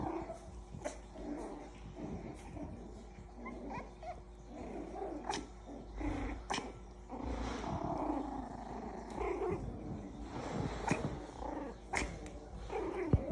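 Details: Six-week-old Havanese puppies at play, making low rumbling growls and small grunts throughout, with scattered knocks and scuffling.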